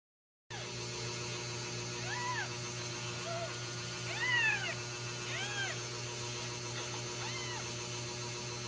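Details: Ragdoll kittens raised in a home cattery in central Kansas, kept without cages: several thin, arching meows rise and fall around 0.6 to 2 seconds apart, with a steady low hum underneath.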